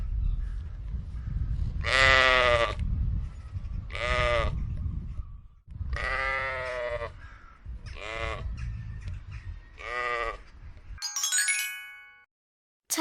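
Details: Several sheep bleating in turn, loud quavering nasal calls repeated roughly every two seconds over a low rumbling background, ending with a bright electronic sweep-like tone.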